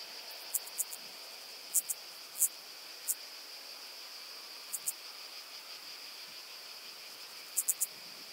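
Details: Common pincer grasshopper (Calliptamus italicus) on Pag, Croatia, 2 September 2019, singing in scattered bursts of two or three very high, hissy pulses over steady background hiss.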